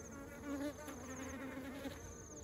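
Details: Bees carrying honey into their hive, heard as a continuous droning hum with wavering pitch, one bee passing loudly near the half-second mark over the busy background buzz of the colony.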